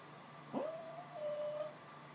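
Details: Pet dog Frutiger, a female, whimpering in her sleep while dreaming of chasing squirrels: one thin, drawn-out whine that rises quickly, holds steady, dips slightly midway and trails off, over a faint steady room hum.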